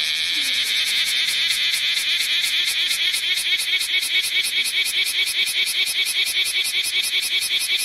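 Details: Summer 2010 recording of bear cicadas in Osaka city: a loud, harsh pulsing buzz, with the pulses repeated rapidly at about two or three per second over a continuous shrill background drone.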